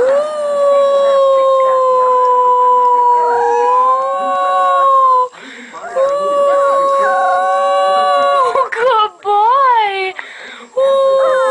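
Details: Puppy howling, some possibly for the first time: long sustained howls of several seconds each, gently wavering in pitch, broken by short yelping bends, with faint voices in the background.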